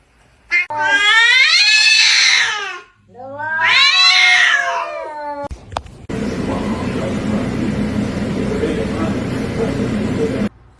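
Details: Pet cat indoors giving two long, loud, strained yowls of about two seconds each, separated by a short pause, followed by several seconds of steady rustling noise.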